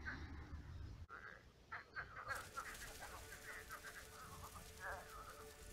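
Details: Frogs croaking at night at a shallowed pond turned swamp, many frogs present; after a noisy start, short nasal croaks and rattling pulse bursts come in overlapping waves from several callers.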